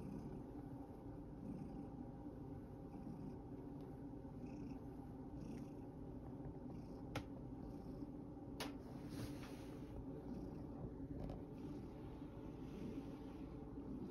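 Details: Sacchan, a male rescue cat worn out from playing in a field, keeps up a long, soft, low purr. A couple of brief sharp clicks or taps break in midway.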